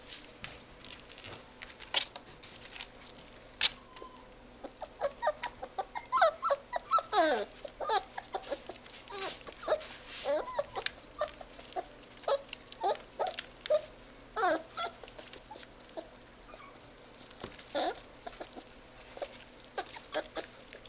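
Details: Kaninchen Dachshund (Canis familiaris) puppy at a pet shop gives a run of high, whining whimpers and short yips.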